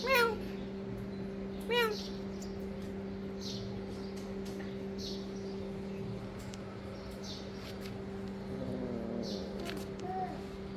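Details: Kitten hunting lizards for food lets out two brief arched meows in the first two seconds, then a quieter stretch of low hum with faint voices and small rustles.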